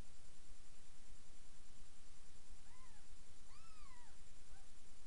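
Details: Indoors, where Miss Kitty feeds her litter of seven three-day-old kittens in a new bed, two clear cat mews rise then fall in pitch, the second longer and stronger, followed by a faint short cry over low background hum.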